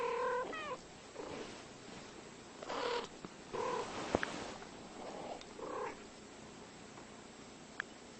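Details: Two cats exchanging short, flat meows and softer murmuring calls, spaced out over several seconds against a steady hiss, with a few sharp clicks or taps.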